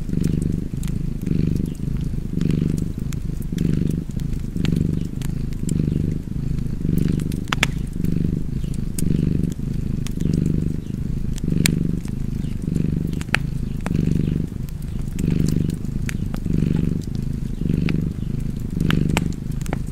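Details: Long stretch of contented cat purring next to a fireplace, the rumbling tone alternating louder and softer with each inhale and exhale, nearly one cycle per second, with scattered fire crackles and pops.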